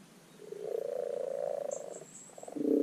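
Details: A common frog (Rana temporaria) in a garden wildlife pond gives a low, soft purring croak, its spring spawning call.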